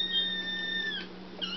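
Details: Foster kittens Sir Purrsalot and Excallipurr crying for their evening KMR kitten milk indoors; a long, steady, high-pitched mew that bends downward at the end, followed by a shorter second cry, over a low constant hum.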